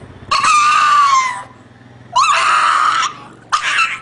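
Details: Dog crying: three loud, drawn-out wailing cries, each slightly falling in pitch and lasting about a second, separated by short pauses, the last one cut short, in a small quiet room.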